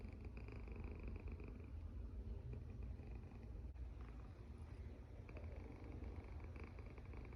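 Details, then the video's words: A domestic cat asleep, its snore a continuous deep rumble with soft wheezing tones rising and fading across several breaths, no other sounds clear. "Snoring Cat"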